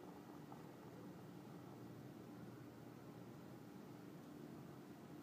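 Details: Continuous gentle purring from Gabbana, a cat becoming more trusting during cuddles and first caresses; an even, quiet, rapidly pulsing low drone runs unbroken for the whole stretch, with a thin steady background hum.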